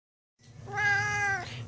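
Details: Tux, a loud-mouthed pet cat, yells at its owner indoors in a daily telling-off: one long, loud, steady meow that drops at its close, after which a person asks what's the matter.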